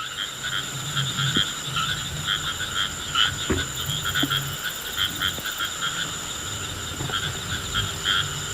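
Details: Rain frog touched by hand, giving low, buzzy drum-like croaks in short bursts through the first half and again near the end, with small handling taps and a steady high insect hum in the background.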